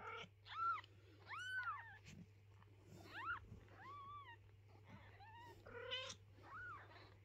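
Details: Mother cat moving her kittens and stopping anyone from tidying their house: a run of about eight high, arched meows, each rising and falling, some rich in overtones, coming irregularly over a constant low electrical hum.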